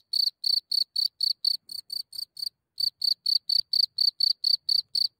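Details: Cricket calling at night just outside its hole, recorded from a few centimetres away in Germany: loud, high chirps pulsing steadily about four per second, with a short pause midway, over an otherwise silent background.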